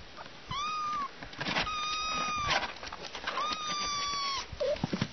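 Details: Domestic cat among kittens and their mother, giving long, level meows that hold steady and then drop at the end, three drawn-out calls with short pauses between them, over faint background rustling.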